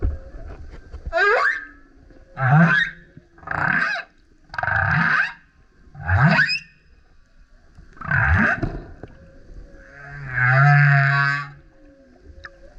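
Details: Loud song of a male humpback whale that kept surfacing beside a kayak: seven harmonic-rich units about every one to two seconds, rising and falling whoops, grunts and howls, ending in a long buzzy roar with a deep low tone.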